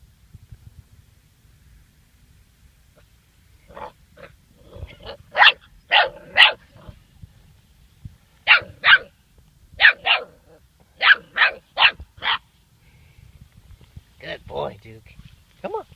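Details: Duke, a German Shorthaired Pointer pup of seven weeks, yaps at a dead bird on his first encounter with one: bursts of high, sharp barks in pairs and triplets, about a dozen in all, ending with softer whiny yips.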